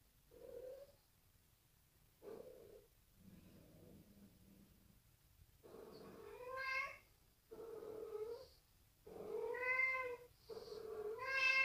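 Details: Bengal cat named Sid, frightened by a new bride, gives a run of drawn-out, tonal yowls with rich harmonics, rising and wavering, in bursts roughly every one to two seconds with short silences between; faint music in the background.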